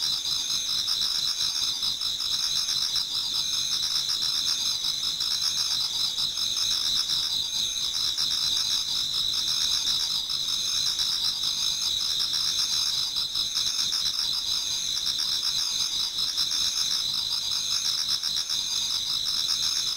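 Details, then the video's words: Many insects singing in a Japanese garden on an autumn night nearing dawn: sustained high-pitched trilling chorus with a lower pulsing chirp layer repeating throughout, steady and dense. "Autumn Insects voice Towards dawn"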